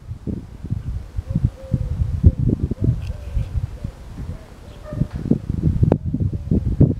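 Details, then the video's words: Small hedgehog drinking for minutes from a water bowl after eating hedgehog food, Saturday morning 3 June 2023; soft, irregular low lapping and tapping noises in quick succession, with a gentle cooing call faintly behind. "egeltje met dorst na eten"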